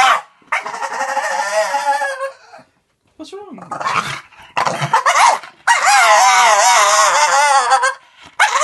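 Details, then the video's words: Blue Staffy bitch mid-tantrum, pet dog: long drawn-out grumbling, warbling whines in several bursts, separated by brief silences, with a strangled, grumbling tone in the shorter middle bursts. "Dog has a TANTRUM!"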